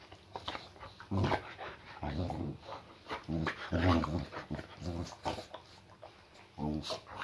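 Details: Indoor welcome-home greeting from Layla, a female boxer with a muscle injury: throaty growling moans in uneven bursts, some rising into whiny tones, while her owner talks over her.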